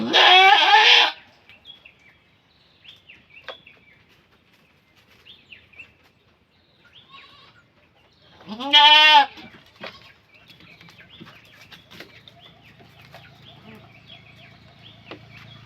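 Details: Goat bleating during a birth as people assist: a strong, nasal bleat opens, then a long quiet stretch of shuffling, then a second loud, quavering bleat, followed by low background hum and soft noises.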